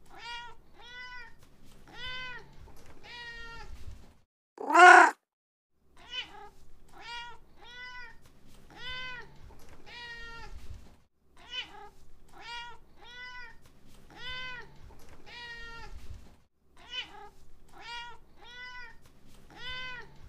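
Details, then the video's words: Cat producing a long series of short, high harmonic mews, about two per second, with brief pauses. One loud, sharp burst breaks in midway against a quiet indoor background. "ANIMAL SOUND: CAT"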